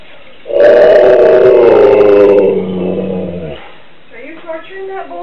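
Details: A Siberian Husky left home while its owner went shopping gives a long, wavering, wolf-like howl that slowly falls in pitch, then a person speaks.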